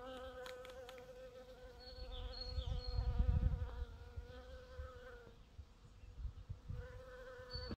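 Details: Foraging bees on purple dead-nettle: a sustained buzzing drone that dips in pitch and briefly fades around five seconds before resuming. Low rumble underneath and a faint high chirping note early on.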